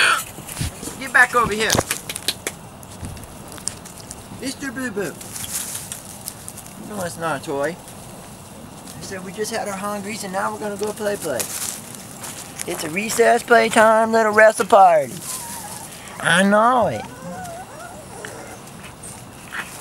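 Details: Several wavering, quavering whines from a Weimaraner x Vizsla litter at 3-4 weeks of age, coming in irregular bursts, with the loudest run around thirteen to fifteen seconds. There are soft rustles and clicks between the cries.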